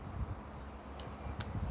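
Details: Evening cricket song from forest, woods or garden: rhythmic high-pitched chirps in an even series, a couple of sharp clicks midway, low rumbling background noise throughout.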